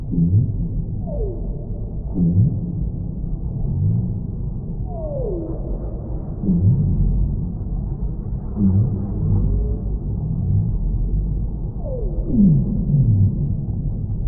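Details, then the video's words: Whale song: a series of long descending moans sweeping from mid pitch down into deep rumbles, roughly every two to three seconds, with some upward-curving tones, over a constant low rumbling background. "Whale Sounds"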